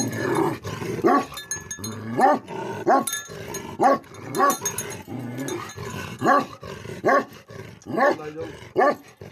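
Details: Nepalese Tibetan Mastiff (Bhote Kukur), a livestock guardian breed, barking deeply roughly once per second, each bark rising sharply, separated by throaty growls.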